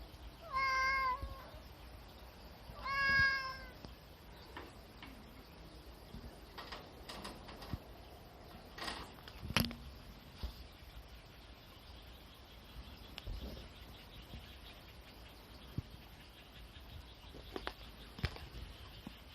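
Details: Two separate meows about two seconds apart from a cat lounging on a sunshade tarp used as a hammock, then soft scattered taps and rustles in quiet surroundings.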